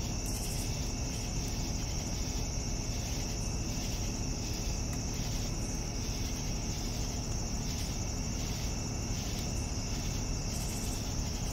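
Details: Evening crickets give a continuous high-pitched ringing trill with chirp pulses repeating at about one per second, set against a dense low hum.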